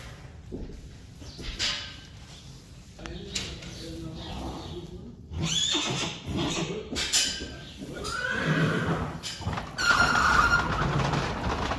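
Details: Friesian horses, the mare Sjirkje and her filly Mathilde (born 22 February 2020), during a session where the foal gets used to the halter on 29 February 2020; a wavering whinny rises late, mixed with human speech, shuffling and hoof sounds.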